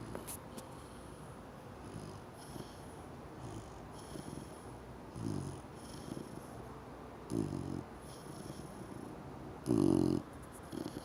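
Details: Sleeping four-month-old cream Chow Chow puppy snoring: quiet low rasping breaths that grow into three clearer snores, each about half a second long, near five, seven and ten seconds, with the last one loudest and buzzing.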